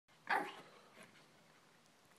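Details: Puppy giving a single short, sharp bark, then only faint room tone for the rest of the moment.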